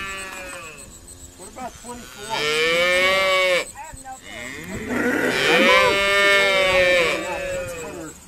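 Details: Irish Dexter cattle bellowing during sorting at Stone Meadow Farm; two long, loud, harmonic-rich calls, the second bending down at its end, with softer lowing between them.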